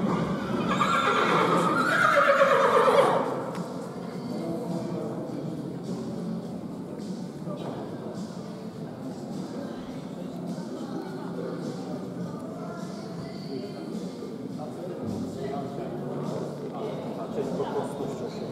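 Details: Polish sport horse stallion, born 2017, at grading, giving one loud descending whinny over the first three seconds, followed by steady hoof clatter, murmuring voices and background hum for the rest.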